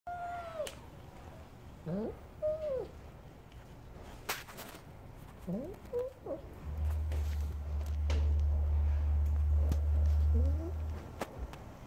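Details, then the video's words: A stray cat makes strange noises while eating: short, squeaky, chirping cries, some rising and some falling, given singly every second or two. A low steady hum comes in during the second half. "괴상한 소리를 내며 먹는 길고양이"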